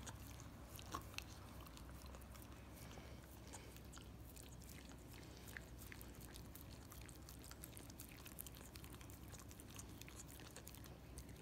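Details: Miniature Australian Shepherd dog licking peanut butter off a foot: a steady, dense run of soft wet smacks and sticky clicks, fairly quiet, continuing without pause over a low background hum.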